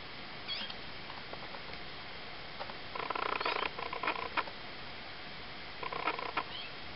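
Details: Three-week-old Ocicat kittens, a litter of four (black silver, chocolate and tawny females, one tawny male), give clustered buzzy, harmonic bursts with a few thin, high rising squeaks between quiet gaps over a steady background hiss.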